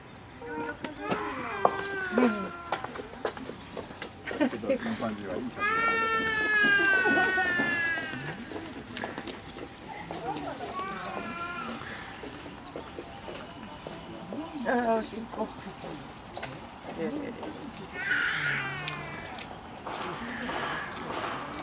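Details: Young chimpanzees Karan and Koe quarrel again at Higashiyama Zoo in Nagoya on 10 December 2021, while adult Akiko mediates. Loud, wavering, harmonic screams rise and fall midway, with scattered sharp knocks and soft human voices around them.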